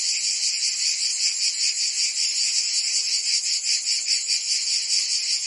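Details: Provence cicadas in summer, their high, grating buzz filling the air as one steady wall of sound with a fast regular pulse, no birds or voices.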